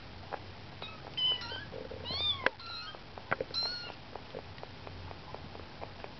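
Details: Kittens aged 19 days exploring beyond their nest for the first time utter quick, thin high-pitched mews in a cluster, accompanied by clicks and light scuffling, then fall mostly quiet.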